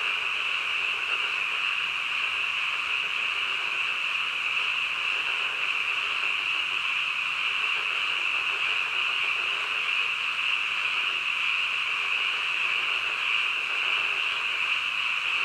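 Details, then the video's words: A nighttime chorus of frogs, heard as a constant high buzzing trill from many animals at once, steady and unchanging from start to finish with no other sounds. "한밤중 개구리 울음소리"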